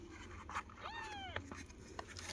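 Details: Kitten meowing as its mother cat returns and lies down to nurse: one arched, rising-then-falling harmonic meow lasting about half a second, with soft clicks and a person speaking Tamil nearby.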